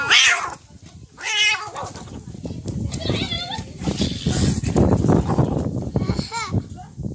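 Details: Domestic cats in a real fight: harsh, wavering yowls and wails, one burst at the start, another just after one second and a shorter one near the end, with people talking and laughing throughout.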